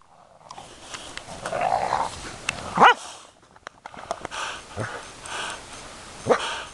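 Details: Puzzle, a dog, gives a sharp rising yelp near the three-second mark and a second short yelp near the end. Rustling and scuffing noises fill the gaps between them.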